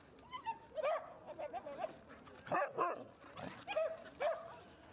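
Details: High, whiny yips and squeaky barks, bending up and down in pitch and repeated in quick uneven bursts, from the dogs Rosy and Rocky playing together at Seal Point Dog Park while Rosy tries to bite Rocky's tail.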